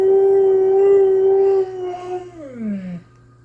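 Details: Pet Husky 'talking' indoors: a steady sustained howl lasting over a second and a half, then a wavering drop in pitch before stopping, while its owner chats to the dog.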